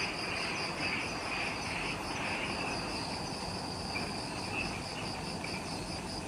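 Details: Forest insects calling at dusk, just after sunset, on Ishigaki Island, Okinawa, Japan: rapid beaded high pulses, over two per second, layered with a wavering mid-pitched buzz and a thin very high ring, plus low rumbling background.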